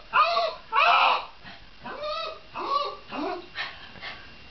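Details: Shiba Inu voicing a few drawn-out, arching yelps and whiny cries, the first two loudest, then softer falling whimpers trailing off over a few seconds.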